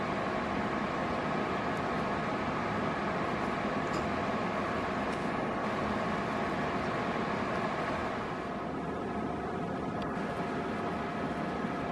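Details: Constant indoor machine hum like a fan or appliance, steady broadband noise with tonal bands, and no animal sound.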